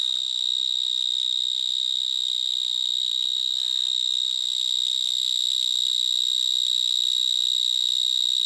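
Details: A vineyard mole cricket (Gryllotalpa vineae), first found in Gironde, sings a very loud, steady, high-pitched trill without pause in a vineyard between Bordeaux and Libourne on 22 March 2010.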